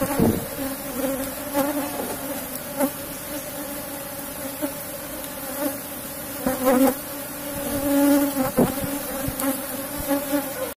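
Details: Continuous droning hum of an Apis cerana colony kept in a box hive while honey combs are taken out. The tone stays steady with a clear overtone, and a few short surges and clicks come from hive handling.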